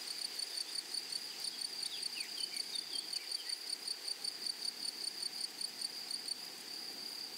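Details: Meadow grasshoppers stridulating in flowery prairie grassland, giving a constant high-pitched trill pulsing roughly two to three times a second; faint short chirps from another small creature briefly in the middle.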